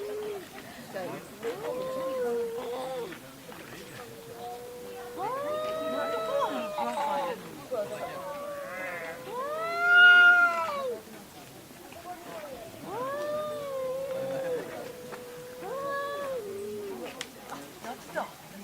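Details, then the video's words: Pet cats in a quarrel at home trade a run of wavering, nasal yowls, some rising and falling in arcs, others held flat, with a louder peaking cry near the middle and choppy overlapping calls throughout. "我家貓咪 愛吵架 Part 3🌱吸引貓咪的聲音🌱呼喚貓咪🌱貓的聲音吸引貓🌱讓貓咪開心🌱貓叫聲 喵喵喵"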